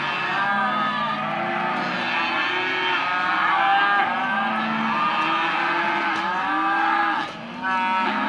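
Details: Hereford and white-faced calves, male and female, penned at auction, a steady chorus of long wavering moos overlapping one another, with a faint murmur of people in the background.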